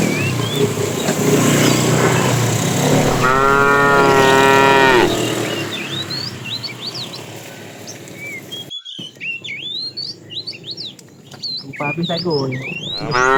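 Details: A tame cow in a herd wandering far for food lets out a drawn, even moo of nearly two seconds over a noisy rumbling backdrop. A shorter rising call comes later, and birds chirp repeatedly.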